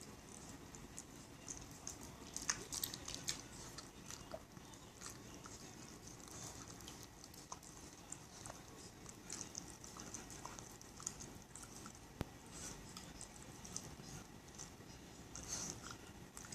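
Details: Shiba Inu named Aoi, a family pet, eating sherbet, a favourite summer treat; soft continuous licking and chewing noises with occasional sharper clicks, low-level throughout with a faint high hiss.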